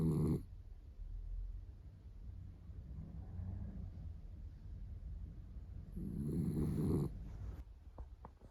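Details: Sleeping on her owner's arm, female Miniature Dachshund Roro, born 2010, snores in low throaty rattles: a short burst at the start and a louder drawn-out snore near the end, with faint breathing and small clicks between.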